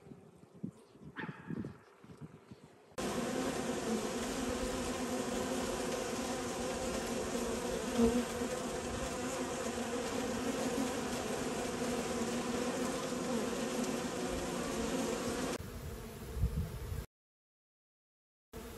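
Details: Bees going about their activity on World Bee Day: a steady, dense humming buzz that starts after about three seconds, holds evenly, then cuts off near the end.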